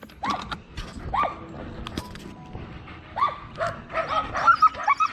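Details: Excited dogs Tonka and Monroe, too eager to sit still for their leashes before a bikejoring ride: repeated high, rising yelps and whines in bursts, with a stretch of muffled rustling between and a quick run of squeaky yips at the end.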